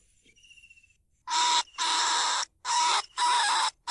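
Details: A faint thin whistle gives way to four long, loud, rasping squeals from a lesser bandicoot rat, each lasting about half a second. Recorded live at Na Lao, Nong Khu Phai, to call rats out of burrows into traps.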